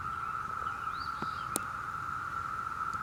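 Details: June 2016 chorus of many Brood V cicadas in Ohio: an even, continuous humming drone, overlaid by a brief faint birdcall and a couple of sharp clicks.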